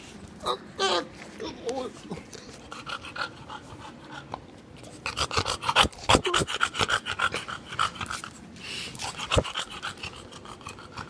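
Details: Bulldog named Gina, heard up close: rapid, rhythmic, breathy panting pulses that grow louder and denser midway, with a few snorty bursts and a brief human voice near the start.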